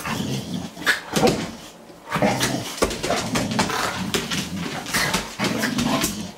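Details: Boxer and Morkie, two household dogs that love each other, wrestle in play indoors, giving rough growls, whines and the odd short bark amid steady scuffling and clattering movement.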